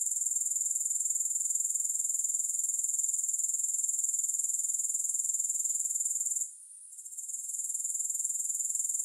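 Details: Shrill, unbroken grasshopper chirring with a regular pulse near four per second. It briefly fades after six seconds and then rebuilds. No music or other sounds are present.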